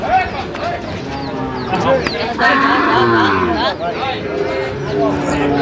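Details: Sahiwal bull calves, offered as a pair, at Ambari market in Cumilla, Bangladesh, on 1 September 2025; a low, drawn-out moo rises through loud bargaining voices and crowd chatter.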